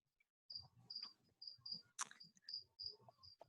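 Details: Captive crickets kept indoors as food for a bearded dragon, chirping in the background of a home online meeting: short high trills repeated roughly every half second, under a woman's talking voice.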